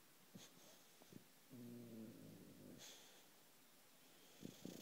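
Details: Loulou, a female British bulldog, snoring in her sleep: one drawn-out, buzzing low snore of over a second, framed by soft wheezy breaths and faint clicks in a quiet room.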